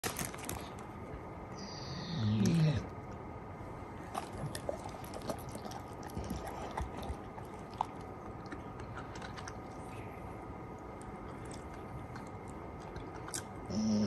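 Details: A Golden Retriever eats with steady crunching and chewing, broken by a short, low, breathy snort he habitually makes while eating.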